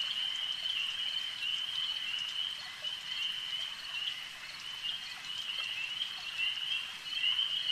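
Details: A lakeside chorus of frogs forms a continuous shrill ringing drone that swells and fades slightly in loudness, with light ticking notes scattered over the steady trill.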